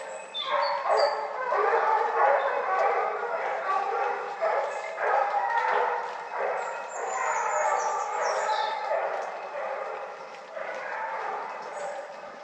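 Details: Pack of hunting dogs baying at a wild boar during a hunt in the Cévennes, Perle among them; rapid choppy overlapping barks and yelps in continuous bursts, fading slightly toward the end, faint bird chirps above.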